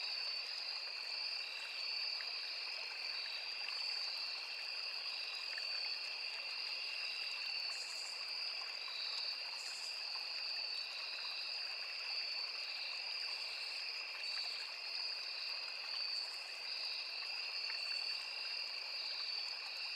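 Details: Crickets calling in a forest beside a small river, with cicadas and other insects: a steady, unbroken high trill layered in two shrill pitches, occasional brief higher buzzy bursts, over the soft constant rush of flowing water.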